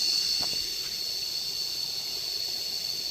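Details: Cicadas heard while lying down during a nature walk in Cambodia: a steady, high, shrill electric drone that holds unbroken for the whole stretch, with a faint low rustle underneath.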